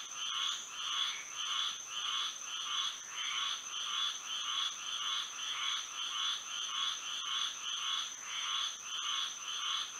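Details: Frogs singing through a moonlit Florida night, regular buzzy croaking pulses roughly every half second from a massed chorus, with a persistent high thin drone throughout.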